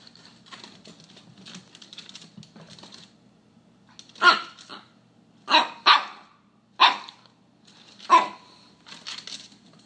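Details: Charlie, a young Alaskan Klee Kai puppy, barks indoors at a McDonald's cup he has decided to dislike: faint rustling first, then five sharp yappy barks in the second half, spaced about a second apart, with a softer one at the end.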